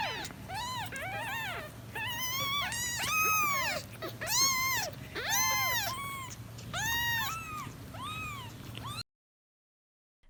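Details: A kitten gives a rapid run of high, arching mews, protesting something its mother did, perhaps walking too fast or picking it up before it was ready.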